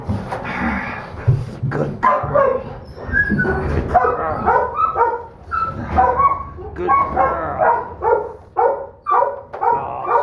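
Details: Smallest female Donovan Pinscher puppy of a litter, a holdback third-pick female said to bite hard and keep coming, makes bursts of harsh growling and whining yelps that rise and fall, with a person's voice and handling noises in the background.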